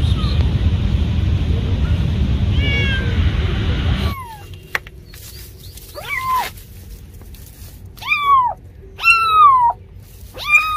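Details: After several seconds of dense rumbling background noise, a cat meows clearly four or five times, with drawn-out, falling, plaintive cries spaced about a second apart in a quieter setting.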